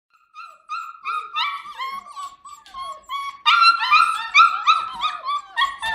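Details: Standard Poodle puppies aged six to seven weeks, filmed indoors in late November: a litter's overlapping high, squeaky whines and yelps, rising and falling in rapid series, growing louder and denser midway.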